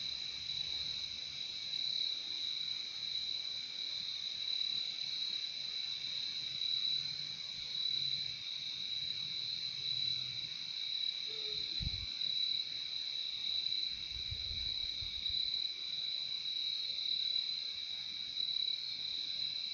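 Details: Steady wall of cricket trilling, high and continuous throughout, with one brief sharp knock midway and a short low rumble just after, the insects never pausing.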